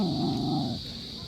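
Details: Talkative Belgian-Labrador mix dog making a short, low, moaning groan that fades within a second, with a steady high electrical hum in the background.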